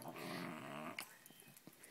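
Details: Shih Tzu female who hates being on her back growling indoors: a low rumbling growl for about one second, then quiet clicks and a soft voice.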